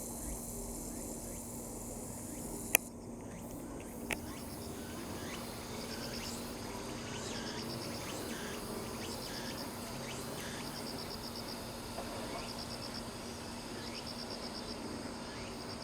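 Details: Cicadas at about 170 m above sea level in Sakurazawa, Yorii, Saitama, Japan, recorded 15 September 2025. Rapid groups of high, dry pulses repeat about once per second, following a couple of sharp handling knocks near the start.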